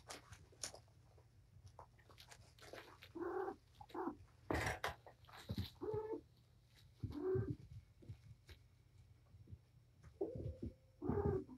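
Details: Patience, a rescued domestic cat surrendered to Purrfect Pals, plays indoors with her five kittens in a cluttered room; several short harmonic mews, each about half a second, come in bursts between thumps and scuffling of play.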